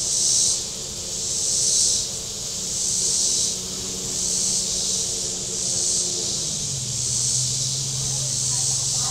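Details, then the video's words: Shoreline cicadas at Table Rock Lake in southern Missouri on a hot day, their dense high buzzing pulsing in waves roughly every second and a half while a boat engine drones low and shifts pitch. "Boating Lake Sounds and Cicadas"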